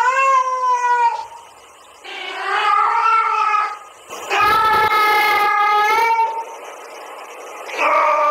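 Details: Domestic cat Haru answers a female cat's mating call with loud, sustained harmonic yowls, several wavering wails of one to two seconds each, the pitch gently rising and dipping between them.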